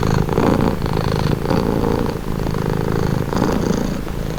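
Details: Relaxed cat purring right beside the microphone, a dense, low buzzing rumble with gentle swells of breath, no other sounds.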